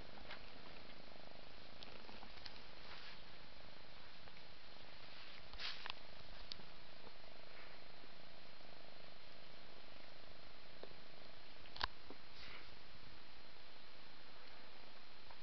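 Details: Indoors, a mother cat grooms her five-month-old kitten Ming. A continuous deep purr runs throughout, broken by a few brief wet licking clicks.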